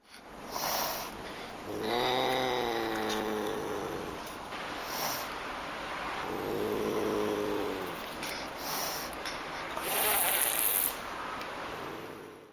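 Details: Pallas's cat calling: two drawn-out, harmonic, moaning yowls of about two seconds each, separated by a pause, over a steady hissing background with a few brief clicks.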